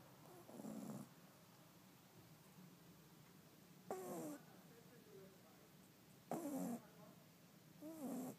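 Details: Five-month-old Shih Tzu puppy asleep and snoring: four breathy snort bursts, some with whistling, wavering nasal tones, coming roughly every two seconds over a steady low room hum.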